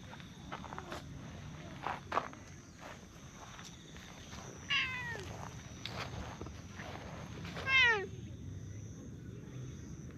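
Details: Stray tortoiseshell and brown tabby cats in a park, competing to demand petting: two clear harmonic meows, one near mid-clip and a louder, falling one a few seconds later, over rustling and light handling noise outdoors.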